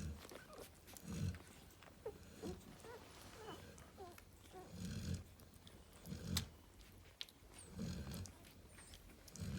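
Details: Cane Corso named Narla, a mother chilling with her babies, snoring in low, raspy pulses roughly every one to one and a half seconds, with small squeaky mid-pitched sounds and faint rustling woven between the breaths.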